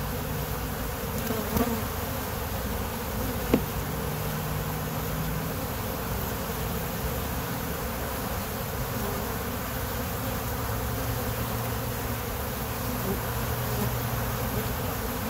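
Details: Honey bees from a kept colony hum in a dense, constant swarm drone, with brief low tones from bees flying near and two soft taps in the first few seconds.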